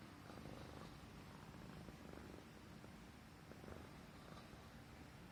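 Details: Persian Himalayan cat purring contentedly as its neck is stroked; an even, low, continuous rumble fills the short stretch, with soft rustling noise over it.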